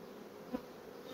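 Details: Brief stretch of steady hive hum from fast comb-building honey bee colonies, an even buzzing drone with a single sharp tap near the middle.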